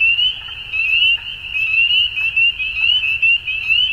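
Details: Frogs at dusk: a shrill, tightly pulsed trilling chorus that never stops, with louder bursts rising and falling about once a second against a soft low background rumble.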